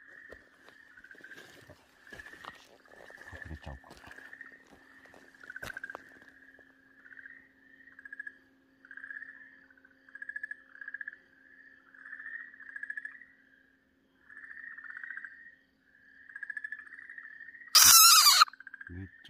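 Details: Okinawa green tree frog crying out while held by a Ryukyu keelback snake: series of grating, pulsed squawks in irregular bursts, with scattered clicks and rustling early on and a loud burst of noise near the end.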